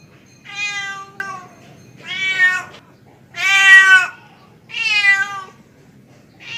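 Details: Male domestic cat calling a female: four drawn-out, harmonic-rich meows, each about a second long, separated by short pauses, with a faint low background hum.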